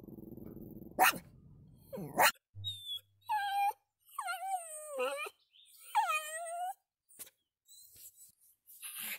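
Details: Pomeranian, a pet dog, giving a series of high, wavering whimpers and whines with bending pitch, a few short sharp noises before them, in a quiet room.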